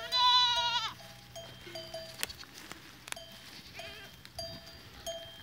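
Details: Goats recorded on 14 April 2023: one loud, wavering, tremulous bleat lasting about a second and falling away at its end, followed by scattered metallic bell clanks and ringing tones.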